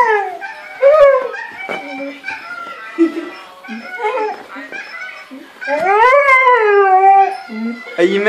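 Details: A male Siberian Husky, love-sick and missing the female he mated with, gives wavering, sliding howls that rise and fall while watching video of himself mating, with a person talking between them.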